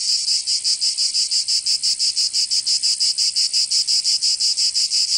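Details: A cicada in summer in Provence, southern France, sings a loud, shrill buzz chopped into crisp, evenly spaced pulses, roughly three per second, steady throughout.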